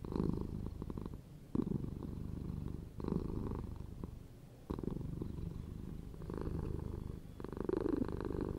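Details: Pet cat giving a continuous low purr, rhythmic rumbling that rises and falls in bursts of about a second, with brief quieter gaps between.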